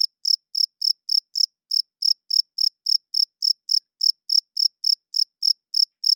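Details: Loud night chirping of a male cricket, wings rubbed together to court females and mark territory; an unbroken run of sharp, high chirps about three and a half per second, evenly spaced, nothing else audible.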